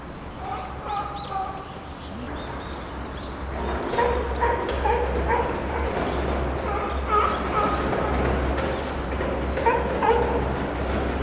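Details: Chimpanzee Puteri crying out at Tennoji Zoo in December 2021, alongside Rickie's group. High harmonic wails and yelps come in uneven bursts over a steady low hum, with bird chirps and crowd murmur in the background.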